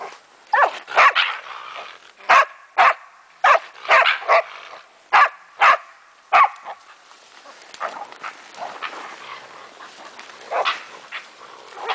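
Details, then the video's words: A German wachtelhund, Meya, at play with a raccoon dog; a dense burst of sharp barks for six seconds, then scattered quieter barks and yips with background rustle. "Wachtel vs mårdhund"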